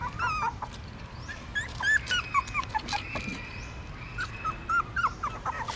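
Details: Hungry newborn puppies feeding from their mother at a pagoda stupa in Siem Reap, Cambodia, giving soft, thin whimpers that bend up and down, fairly quiet over a background hiss.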